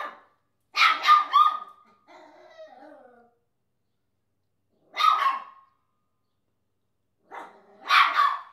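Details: Chesster the Papillon, a pet dog that barks at everything in existence, fires off quick double and triple barks in short bursts, separated by silences. A soft whine follows the first burst.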